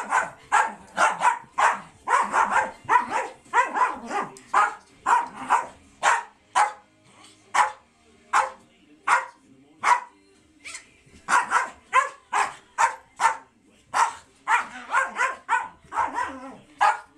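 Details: Two American Eskimo dogs play fighting indoors; dense, rapid, sharp barks and yips, often overlapping, repeated nearly continuously for the whole stretch with brief pauses.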